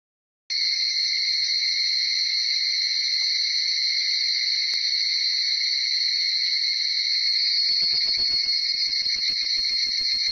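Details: Higurashi cicadas (Tanna japonensis) in an early morning chorus between about 4:30 and 5:00 in Uda city, Nara, Japan; dense, steady high-pitched shrilling with two bright bands, starting abruptly after a half-second of silence, faint low crackles near the end.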